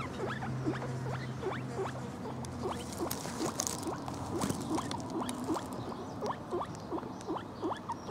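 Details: Pet male Lemon Agouti guinea pig named Lemon calling with quick upward-sweeping squeaks repeated in a steady stream, softer than before, with a low hum and brief rustling noise behind them.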